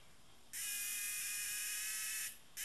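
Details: Cicada described as tame, producing one steady, intense metallic buzz lasting nearly two seconds, breaking off and then starting again at the very end.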